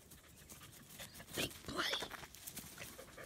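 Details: German Shepherd puppy in Florida, May 2019, panting in soft, breathy, irregular bursts while being petted, with a person talking nearby.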